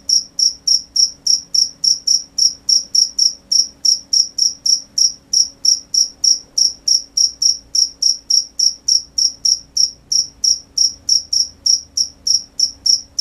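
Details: Crickets at night: a steady, high-pitched chirping, the pulses repeated about three times a second in an even, unbroken rhythm, with a faint low steady hum underneath.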